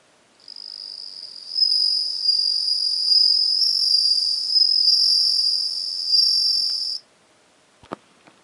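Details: Bell cricket on 17 September 2021: a clear, high ringing trill carried steadily for about six and a half seconds, then it stops, followed by quiet and a couple of faint knocks.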